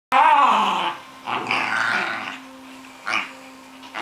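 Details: Cairn Terrier at play, giving a rough, rasping growl that opens loud and harmonic, then comes back in shorter noisy bursts near 1.5, 3.1 and 4 seconds, indoors with a faint steady hum.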